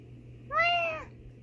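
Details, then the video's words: A female domestic cat answers her owner's meow with a single clear, tonal meow lasting about half a second, steady in pitch then dipping at the end, over a faint steady background hum. "Cute Cat Talks Back to Me"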